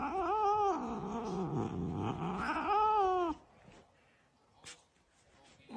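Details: Pet cat giving two long, wavering meows that rise and fall in pitch over about three seconds, followed by quiet room sounds and a brief faint squeak at the end.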